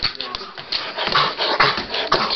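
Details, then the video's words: Troy, a pet dog eager to go for a walk, indoors in a small room: excited high whines and yelps run continuously in quick bursts, with the owner's voice teasing him about the walk. "Troy wants to go for a walk."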